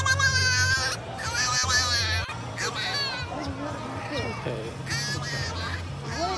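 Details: A French Bulldog puppy makes wavering, whiny, talk-like yowls and whines in short bursts over background music.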